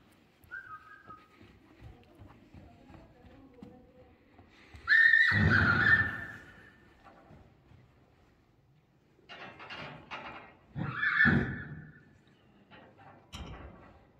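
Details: Akhal-Teke horse, a purebred registered stud horse offered for sale in Dubna, Moscow region, Russia. A loud, harsh whinny comes at about five seconds and a shorter one near eleven seconds, between quiet rustling and faint background noise.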